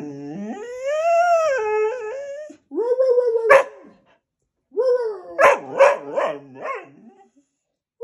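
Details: During its daily temper tantrum, a Goldendoodle holds a long, steady howl that rises and then sags. A sharp yelp follows, then a quick burst of choppy, bark-like yips that trail into a fading whine.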